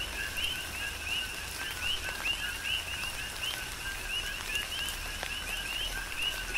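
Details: Several coqui frogs call through a tropical rainstorm on the Big Island, Hawaii, each giving a low note followed by a rising whistled note, forming a continuous rhythmic chorus above steady rain and occasional drip sounds.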